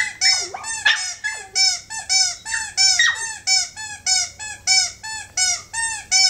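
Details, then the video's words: A dog 'singing' with a run of high, whistle-like harmonic whines, some swooping down steeply, repeated in a regular pulsing rhythm against a low electrical hum. "rock-dog singing"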